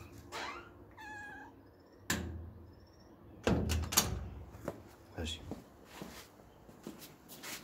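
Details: Indoor Siamese cat gives two short meows early on, each a bright harmonic cry under a second long, followed by loud thumps, door-like knocks and French speech from people in the room.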